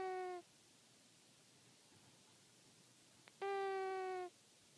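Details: A pet cat named Anakin snoring. Two steady, whistle-like nasal tones, the first short and the second nearly a second long, are separated by a quiet stretch of soft breathing.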